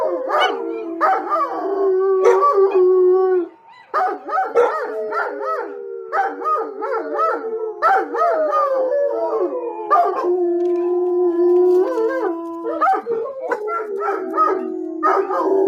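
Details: Several dogs howling together in a chorus, long wavering tones overlapping with sliding, quivering cries, steady and loud with a short pause near four seconds; occasional sharp yelps cut through.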